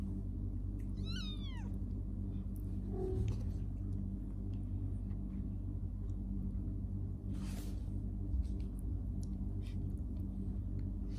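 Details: Kittens playing and sleeping; one short rising-then-falling meow with clear harmonics near the start, a faint squeak around three seconds, a brief rustle near seven seconds, over steady low background hum.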